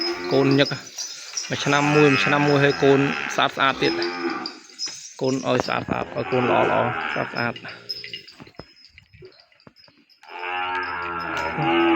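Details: Calves cry out across the pen for their mothers after being separated: a series of loud, rich moos, some wavering and some held steady, coming in clusters with brief pauses and faint background noise between them.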